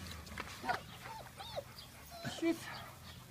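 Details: Bernese Mountain Dog puppies with their mother Lucy give short high whines, several curving upward and falling, scattered across three seconds, while people talk in German nearby.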